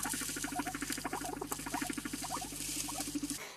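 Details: A guinea pig's low, vibrating rumble with rapid pulsing, more common in males; heard when guinea pigs are introduced, as they work out who is boss.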